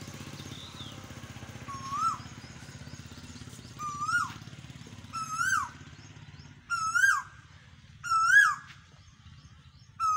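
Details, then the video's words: Goats, some eating grass, give short, high, nasal bleats that rise then level off, repeated every couple of seconds over a low engine hum. "Some goats are eating grass and some are making noise"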